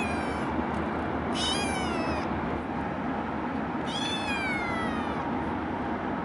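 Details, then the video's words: Calico rescue kitten, adopted from a shelter at 8 weeks old, meowing and crying in a carrier while riding home from the shelter by car; two long descending meows, the second near four seconds, over constant loud road rumble. "CUTEST Calico Kitten Meowing in Carrier"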